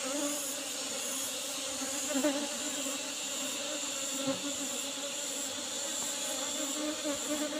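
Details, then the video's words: Apis cerana bees humming steadily during a harvest from an old box hive with an asbestos lid. The drone stays level and unbroken, with faint rhythmic ticking in the highs and a few small bumps. "panen lebah madu apis cerana super"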